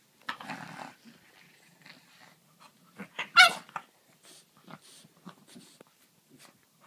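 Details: A French bulldog and a griffon playing together indoors; low rough growls and snuffling breaths broken by a loud, sharp yelping bark burst at mid-clip, then scattered short huffs and grunts with quiet gaps between.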